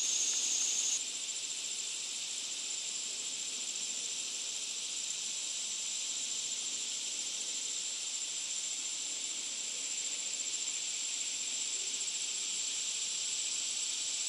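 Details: Loud cicada song: a continuous, dense, high sizzling drone that never pauses, with a thin whistle-like tone over it in the first second.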